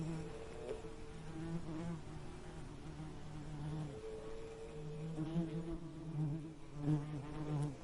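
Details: Bee buzzing in repeated passes: a low vibrating hum with clear overtones, breaking off briefly around the middle and then returning, with the pitch sliding slightly as the insects move.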